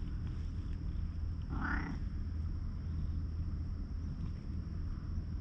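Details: Milk-tea-coloured stray cat, remarkably friendly, keeping watch by a lighthouse, filmed on a GoPro: one short meow near the middle, set against a steady low rumble of wind and background noise.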